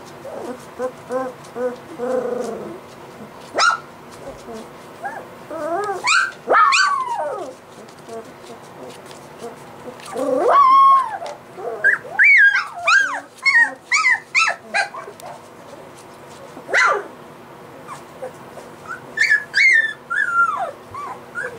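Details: Three-week-old white Golden Retriever puppies whimper and squeal in high, wavering bursts, overlapping one another.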